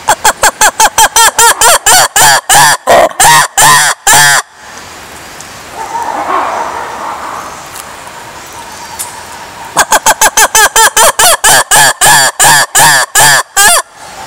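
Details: Lemurs calling in two loud bouts of harsh, harmonic barks, each note arched in pitch, coming in rapid rhythmic runs that lengthen toward the end of each bout, separated by a quieter stretch of low background murmur.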